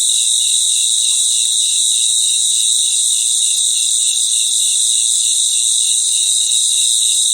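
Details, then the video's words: Many crickets chorus at night in their natural environment, making an unbroken high-pitched ringing trill. Beneath it, a softer pulsed chirp beats rhythmically several times a second, steady throughout. "Relaxing Sounds of Crickets"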